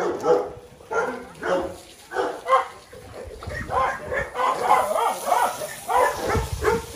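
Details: Several small dogs yapping in short, bright barks repeated roughly every half second, irregular and excited, some barks overlapping, with a faint hiss in the background.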